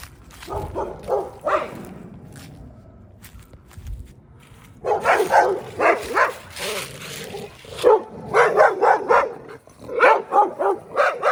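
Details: A neighbor's dog, recorded close up on 14 January 2024, barks in quick uneven bursts, a few sharp woofs, a pause, then longer runs of rapid barks with a low background hum.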